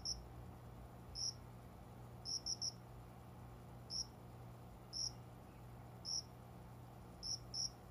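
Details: Cricket, unseen, calling from small window-side plants indoors just after 5 a.m. near dawn in summer; short high chirps, single or in quick pairs, spaced irregularly about a second apart, over a steady low room hum.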